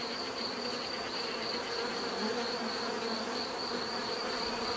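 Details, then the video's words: Unbroken droning of many bees, a low rich buzz with slight wavering, accompanied throughout by a soft sustained high tone. "bees therapy relaxing natural buzzing sound"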